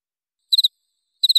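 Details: Jangkrik (cricket) masteran track with clear sound, made for training murai, cucak ijo, kacer and cendet: two crisp, high triple-pulse chirps about three-quarters of a second apart, nothing else audible.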